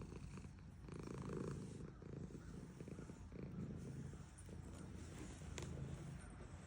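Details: Domestic cat, a female, purrs as she is stroked, giving a continuous deep vibrating drone that swells and eases slightly, with light brushing sounds from the petting.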